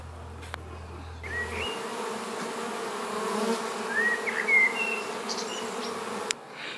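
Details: Honey bee swarm being moved into a new hive, a steady dense hum with a band near 500 and a broad buzzy wash, a few faint chirps from birds on top.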